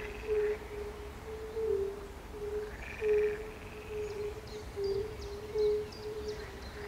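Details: Fire-bellied toads give soft, mellow, overlapping hooting notes in a steady chorus, joined by other croaking frogs, at a pond beside a palace in Bukowiec near Jelenia Góra, Western Sudetes, Poland, 20 May 2019.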